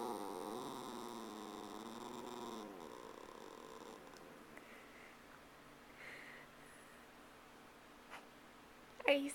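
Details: Mindy the pet dog, missing someone, gives a long undulating howl-like whine that rises and falls for nearly three seconds, then fades into quieter room sound with soft scattered noises and a sharp knock at the end.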